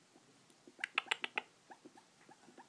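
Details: Pet rat making noises, its owner unsure whether from breathing or 'talking'; a quick burst of five sharp faint clicks mid-clip, then soft short squeaky chirps spaced evenly, quiet indoor background.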